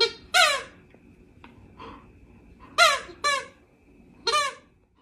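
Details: Female dog asking gently for scratches gives four short, high, squeaky whines, each sliding downward. The whines are spaced about a second apart in a quiet indoor room.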